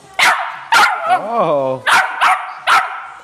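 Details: Excited female West Highland White Terrier puppy, a pet indoors, sneezing and talking because she knows she's getting a walk. Five sharp, breathy bursts come with a rising-falling whine in the middle, while a woman repeats "walk".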